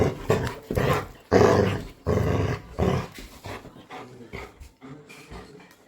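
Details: A domestic Labrador Retriever puts on a mock-threatening growl while a woman tells it to go away: several loud, rasping growls in the first three seconds, then softer, broken grumbles that fade out.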